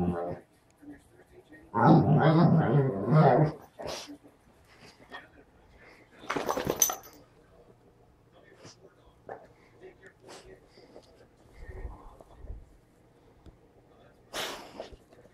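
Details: English springer spaniel talking: a loud, low, harmonic grumbling vocalisation lasting nearly two seconds, then a short break, a noisy burst and scattered quieter sounds, with a person speaking nearby.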